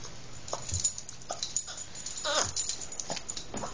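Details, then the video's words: Female Boston Terrier whimpering because she wants a car ride: a run of short, nasal whines and snorts, including one louder, longer, falling whine in the middle, repeated about every half second. "boston terrier makes snoopy noises"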